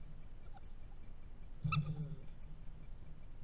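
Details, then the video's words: European badger cub caught by a trail camera on 16 June 2021: a single short, harmonic squealing call rising out of low background hum, lasting under half a second, with no other voices. "TASSI cucciolo versi"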